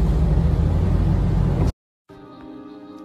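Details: Loud rumbling music cuts to brief silence, then softer music resumes; no animal sounds are heard.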